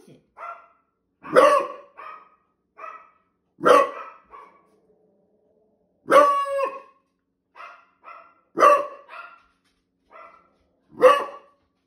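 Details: A male Beagle on guard duty barks and bays at squirrels, loud harmonic barks mixed with drawn-out bays roughly every couple of seconds.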